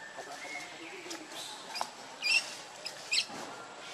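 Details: Baby monkey Lucie, very hungry and crying to its mother for milk: two short, sharp high squeaks about a second apart, with faint thin tones and a steady outdoor hiss behind them.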